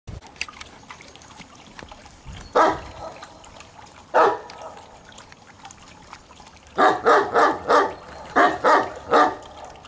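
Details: Landseer dog barking: two single deep barks a second and a half apart, then a fast run of about seven loud barks in two bursts near the end, with faint background noise.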